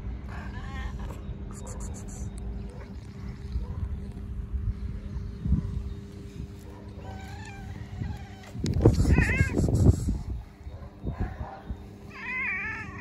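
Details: Stray cats, very hungry, meowing constantly: a string of wavering meows, the loudest a long strained cry in the middle, with softer plaintive meows before and after, all over a steady low hum and rumble.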